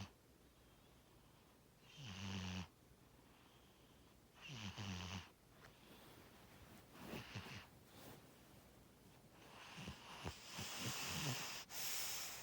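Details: Sleeping cat Tora gives two rattling snore breaths early on, followed by rustling, shifting noises and a brighter hissing sound toward the end.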